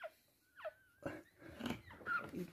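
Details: Toy Poodle giving birth to three female puppies indoors; thin, high, wavering whines and short squeaks, some gliding downward, rise over soft rustling and breathy noises in a small room.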